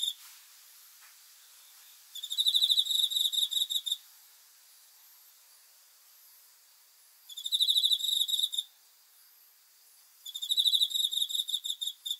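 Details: Cricket chirping at night: three bursts of rapid, pulsed high chirps, each lasting about one to two seconds, separated by quiet gaps, with a faint steady insect hiss between bursts.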